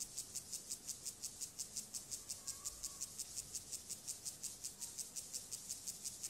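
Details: A courting male club-legged grasshopper, Gomphocerus sibiricus, stridulates in steady, dry, high pulses close to three per second, quieter than usual, with faint low rustling beneath.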